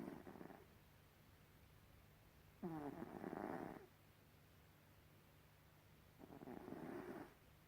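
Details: Gribouille, a domestic cat, snores in slow rhythm: rough, wheezy inhaled snores lasting about a second, spaced three to four seconds apart, steady background hum.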